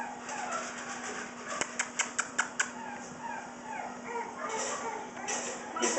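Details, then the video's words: Shih Tzu puppies playing together, giving soft, thin whimpers and short high yips, with a quick run of sharp clicking taps midway and a person's quiet voice calling to them in the background. "Shih tzu puppies playing"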